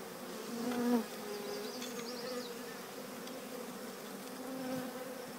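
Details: Bees of a collected swarm entering The Cathedral Hive: an unbroken low hum, swelling into a louder close buzz near the first second as a bee passes by, with faint high bird twitters in the background.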